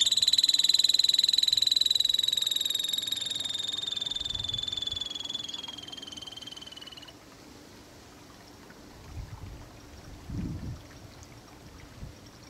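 A Harris's antelope squirrel gives a long, high, rapid trill that slowly falls in pitch before stopping.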